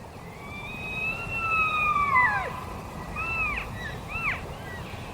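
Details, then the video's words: Several Rocky Mountain elk (wapiti) give long, high, whistled mews that arch then drop, calling over one another, on the south side of the Uinta crest, High Uintas Wilderness, Utah. "That's the sound of Wapati, the Rocky Mountain elk."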